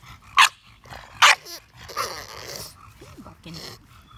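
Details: English bulldog barking: two loud, sharp barks about a second apart, then softer, rougher vocal sounds, with a woman's voice talking to the dog in between.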